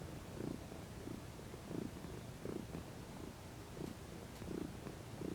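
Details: Domestic cat stretching and relaxing in the sun, purring continuously: low soft rumbling bursts in a regular breathing rhythm, roughly every 0.7 seconds, with faint clicks late on.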